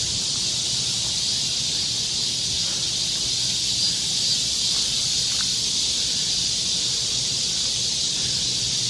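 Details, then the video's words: Summer cicada chorus in Galsan Park's forest trail, Yangcheon-gu, Seoul, South Korea: a continuous shrill, hiss-like wall of sound held at an even level, with slight leaf rustling beneath. "매미울음소리. 한여름의 청량제와 같은 천사들의 찬가. 갈산공원 매미들 숲속의 합창"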